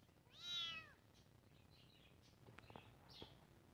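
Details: Kitten giving one high arched meow near the start, followed by faint scattered clicks and rustles in a quiet room.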